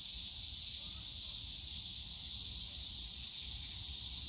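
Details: Unbroken high, sizzling drone of a summer cicada chorus in the Yongsan Family Park bamboo grove, steady throughout, with faint rumbling park background.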